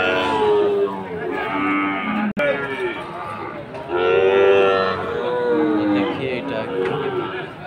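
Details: Sahiwal bull calves at Aftabganj market in Dinajpur, 4 March 2023, several drawn-out moos, some slightly rising then falling, over background music and a sharp click.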